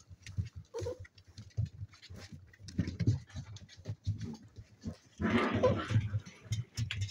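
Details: Spaniel pups, seven weeks old, playing together: deep grumbling pulses repeated rapidly, about three per second, with a louder rough scuffle burst near the end.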